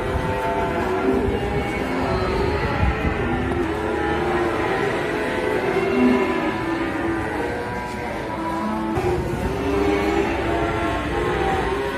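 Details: Loud music with sustained melodic tones and rumbling low noise fills the whole stretch, with no clear animal call.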